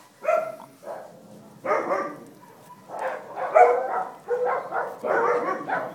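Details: Dachshund puppies with their mother, recorded August 5th 2011, give short harmonic yips and barks in separate bursts roughly every second, with quieter whimpering between them.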